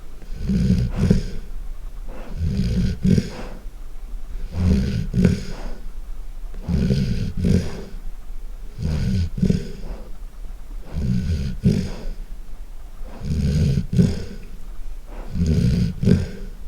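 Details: Loud snoring from a sleeping golden retriever: heavy, throaty rattling inhalations come in steady bursts about every two seconds, separated by short quiet pauses, with nothing else clearly audible.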